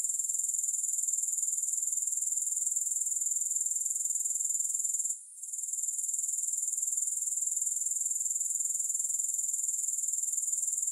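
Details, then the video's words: Continuous high-pitched chirring of grasshoppers, no music added, made up of fast, regular pulses that hold a constant shrill tone, with one short gap around the midpoint before the buzzing trill returns. "Grass Hopper Sounds"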